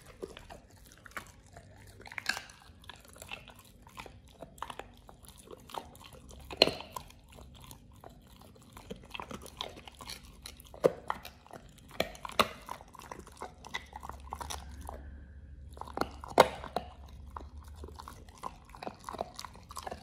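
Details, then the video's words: Oliang, a Pit Bull eating a raw ostrich paw for the first time indoors, crunching and biting in irregular bursts of sharp clicks and cracks with brief quiet gaps, a low hum underneath. "Oliang the Pit Bull 1st time eats Raw Ostrich PAW [ASMR]"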